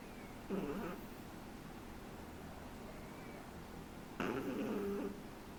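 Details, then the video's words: Three-month-old Shih Tzu puppy snoring indoors: two raspy, noisy breaths about three and a half seconds apart, each a short rough burst with a faint tonal edge, over quiet room hiss. "SHIH TZU roncando"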